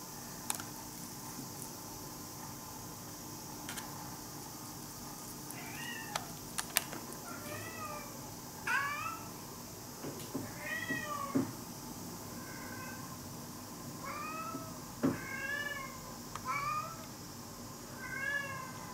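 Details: Hungry brown tabby stray kitten comes close to a house and keeps meowing, a long run of brief, arched, fairly soft cries spaced a second or two apart, with occasional clicks and taps behind.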